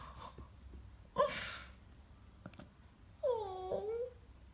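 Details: English Bulldog puppies indoors; a short breathy snort, then a drawn-out whimpering whine with clear harmonics that slides down and wavers for about a second, over low room hum.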